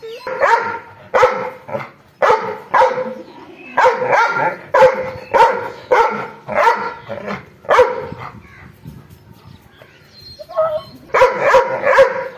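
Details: An angry dog barks in bursts of harsh, loud barks, often doubled or tripled, with brief pauses between volleys and a quieter gap near the end before barking resumes.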